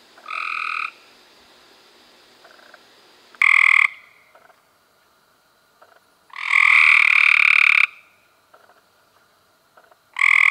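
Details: Loud, close Cope's gray treefrog trills recorded in May 2016, harsh and rattling. One trill runs about a second and a half, and a quieter frog calls briefly between the louder bursts.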